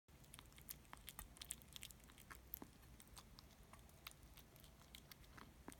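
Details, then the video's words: Kittens eating: soft, irregular crunchy chewing clicks and small bites scattered throughout, quiet indoor setting with a low steady hum behind. "Kittens eating sounds 子猫のご飯を食べる音"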